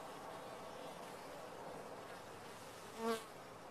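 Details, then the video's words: Honey bees in a top-bar hive: a steady, dense colony hum, with one bee passing close near the end, adding a louder, rising-and-falling harmonic drone for a moment. "Bees in a topbar hive"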